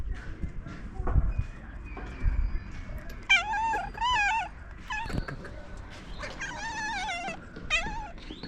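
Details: Stray cat woken on top of a car making strange noises: after soft thumps, several drawn-out trembling meows with a wobbling pitch, given in quick succession, outdoors.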